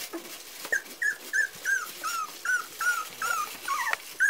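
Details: Four-week-old Parson Russell Terrier puppies whining in a steady run of short, high, slightly falling whimpers, roughly three per second, each clear and tonal, with faint soft background rustling.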